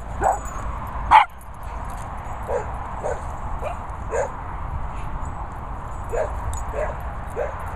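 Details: A male Cocker Spaniel barks at a calf: two sharp, loud barks, then a string of quieter, clipped barks at roughly half-second intervals, with people talking in the background.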